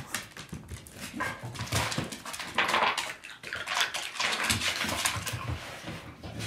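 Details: Maymo, a pet dog, excitedly whimpering and whining at a bag of ice chips, one of his favourite things to play with and eat; high, broken whines in irregular bursts, with rustling and noisy movement throughout.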